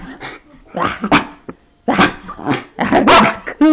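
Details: A Schipperke sings in bursts of wavering, high-pitched, yodelling howls mixed with short grumbling barks, and is rewarded with a treat.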